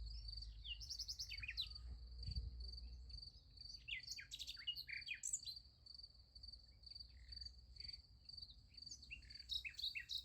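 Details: Crickets chirp at night near a sunflower field: a constant high pulsed trill runs beneath frequent sharp, scattered bird chirps and twitters that come in bursts across the recording, with low rumble below.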